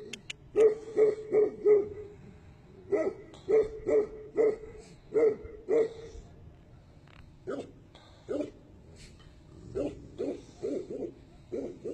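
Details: Tibetan Mastiff giving deep, evenly pitched woofs in quick runs of three or four, pausing between runs, then a looser series of single barks.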